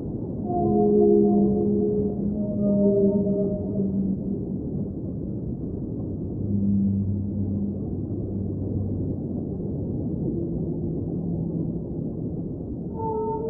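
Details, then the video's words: Whale song recorded underwater within a soothing ambient mix: several drawn-out tonal moans early on, stepping between pitches, then lower sustained groans in the middle, with a fresh higher tone at the end, all over continuous deep rumbling water noise. "Underwater Whale Sounds - Ambient Soundscape | Whale Singing"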